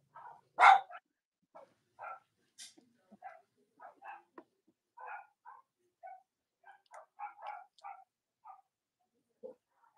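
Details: Robin and Myra's Cavalier King Charles Spaniel puppies on a chilly Monday morning near Halloween in the US: one loud sharp yelp, then a string of soft, short, irregular yips and squeaks.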